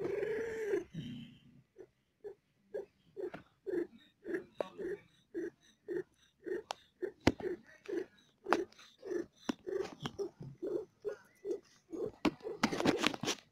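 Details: Mother cat in labor with four kittens, feeling pain, purrs in a long even series of pulsed bursts about twice a second, opening with a louder breathy sound and ending in rustling noise.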